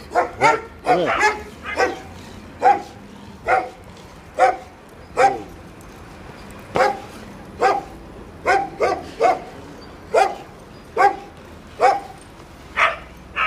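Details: Cukulat, a Jack Russell terrier, provoking the dogs at the Samandira TÜV vehicle inspection station: a long run of sharp, harmonic-rich barks, about seventeen in thirteen seconds, irregularly spaced and sometimes doubled in quick pairs.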